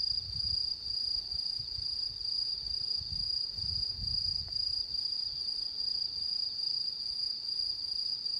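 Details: Autumn insects under the September 10, 2022 full moon: a sustained high trill with a soft rhythmic pulse roughly twice per second, plus faint low rumbles early on.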